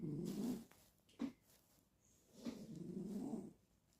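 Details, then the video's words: Ragdoll cat asleep, giving rough, buzzy, low snoring breaths: one half-second burst, a brief catch, then a longer grating snore about a second long, over a quiet room. "SLEEPING SNORING BEAUTY"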